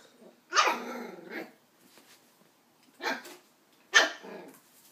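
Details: Young Westie puppy Doc, nine weeks old, barks at an empty coke bottle indoors: three high, sharp yaps, the first trailing into a rough growl, the others clipped and spaced about a second apart.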